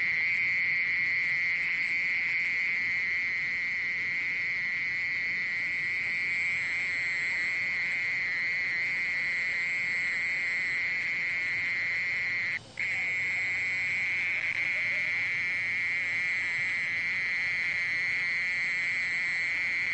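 A mole cricket sings a steady, unbroken high buzzing trill that holds one pitch throughout.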